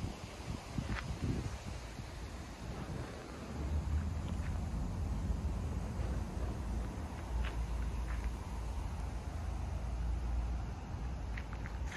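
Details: Low outdoor rumble with wind buffeting the microphone and a few faint clicks, with no animal calls.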